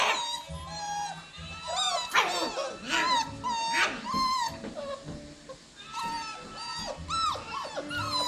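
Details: Dense chorus of whining and yelping from a litter of seven 7-week-old Cockapoo puppies (show cocker spaniel mother, miniature poodle father), high sliding cries overlapping continuously over a steady low hum.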